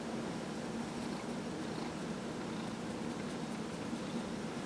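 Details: Fifteen-year-old cat Dillard being massaged, November 27, 2018; a steady low purring hum beneath a broad background hiss.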